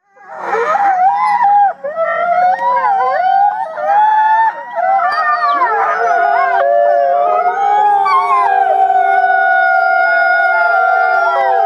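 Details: A wolf pack of about 50 voices howls together, many long wavering voices overlapping in a sustained chorus.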